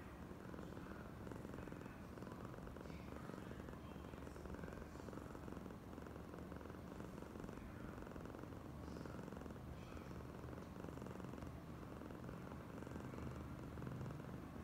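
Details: Long continuous purr from Oyen, a female domestic cat being especially affectionate; a low, rhythmic rumble that holds even in volume throughout, with occasional faint soft rustles above it.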